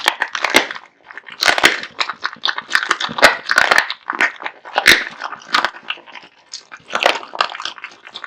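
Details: Kotetsu, a male American Bully, devours a heaped meal of raw meat and bones: loud crunching bites in clusters about every second, with wet smacking chews between, close up in a small room.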